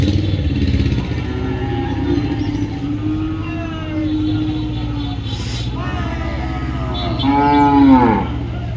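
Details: Cattle at Dhaniakhali's Friday cattle market: a soft, drawn-out low moo early, then a louder bellowing moo near the end, over a constant rumbling engine and distant voices.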